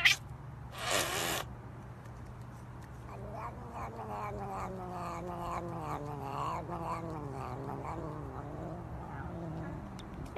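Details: Domestic cat in a funny cat compilation uttering a long, wavering, drawn-out yowl that rises and falls for about seven seconds, after a brief burst of noise at the start.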